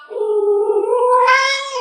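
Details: Yuanbao, a chatty house cat asked aloud what kind of animal it is, answers with a long, sustained meow that holds level, then swells louder and rises in pitch near the end.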